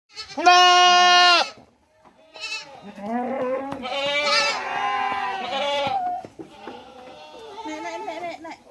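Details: A hungry goat on a goat farm in Mumbai, India, gives a loud, harmonic bleat, then quavering follow-up bleats, as if calling for food.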